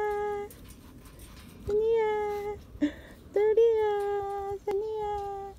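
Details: Pungsan dog puppies, named as a pair, whine in long, steady, high-pitched tones, with a brief human voice.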